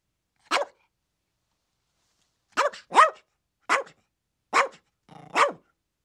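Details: Chihuahuas barking, described as playful barks, yips and yaps: six short sharp yappy barks, one alone then a cluster after a two-second pause, each bright and high with a quick falling tail, otherwise silent background.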